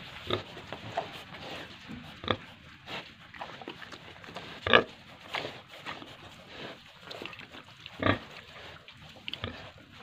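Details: Pigs and piglets at a farm in Tripura: scattered short grunts and squeals at irregular intervals, with one sharp squeal midway and farm clatter throughout.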